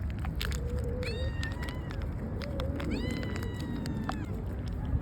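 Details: Street cats in Istanbul meowing at feeding time outdoors: several drawn-out harmonic meows, some rising then falling, in overlapping bursts, over steady low urban rumble.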